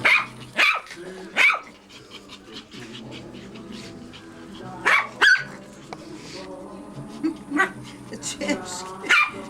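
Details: Yapping small dogs, Maltese and Yorkshire Terriers from a kennel in Reda, Poland; sharp high barks come in loose pairs and singles with short gaps, while a woman coos at the dogs and soft music plays underneath.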